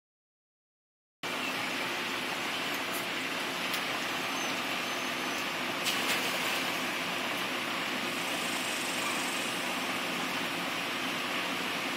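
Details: Silence for a second, then broad steady hiss like splashing water or wind, with a few faint clicks and no animal voice.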